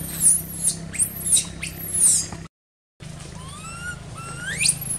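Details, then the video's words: Baby monkey crying in an archaeological park, left uncared for by its mother: sharp high squeals sweeping up and down in quick bursts, a brief silent gap, then rising whistled cries over a low engine hum. "Poor Baby Monkey Crying Without Caring From Her Nasty Mom Monkey"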